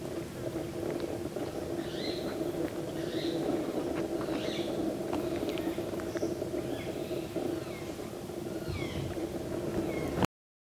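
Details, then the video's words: Fruit bat on a Kadam tree in Bharatpur Bird Sanctuary: thin high squeaks and short chirps repeated irregularly about every second, over a steady low droning hum. "Fruit bat on a Kadam tree"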